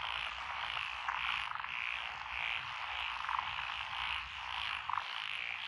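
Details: Lotus paddy frogs near Echizen, Fukui Prefecture, Japan, recorded 12 June 2021: a steady massed chorus with brief rhythmic rattling phrases rising and falling roughly every half second, plus a faint low rumble beneath.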